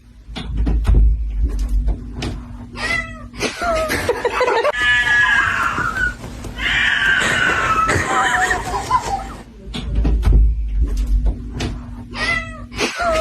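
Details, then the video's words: Cat meowing repeatedly, breaking into long, loud, strained caterwauling wails in the middle, with short clipped meows before and after over a low rumbling background. "Funny Cat Noises"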